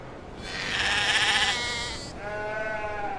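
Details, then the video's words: Sheep bleating: a loud, harsh, quavering bleat lasting over a second, followed straight away by a softer, steadier, lower bleat held to the end. "O SOM DAS OVELHAS 🐑 OVELHAS BERRANDO"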